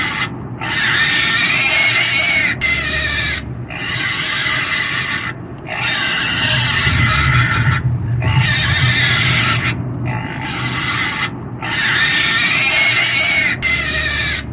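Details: Shrill, drawn-out pig screams come in repeated bursts lasting about a second or two each, with short quiet breaks between them and a constant low hum underneath.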